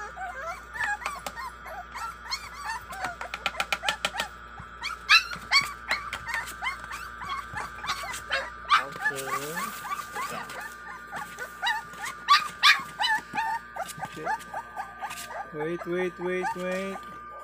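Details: A feeding frenzy of five-week-old American Bully puppies (Warg and Sake) brings dense overlapping squeaks and whines with sharp clicks, a brief low voice midway, and a short run of higher wavering whines near the end, all over steady hum.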